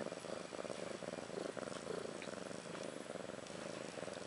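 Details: Steady low pulsing purr from a domestic cat, Ashley, about a year old, with her two newborn female kittens Maggie and Rose, born March 30, 2013; the rumble swells and eases in slow breathing cycles, faint room hiss behind.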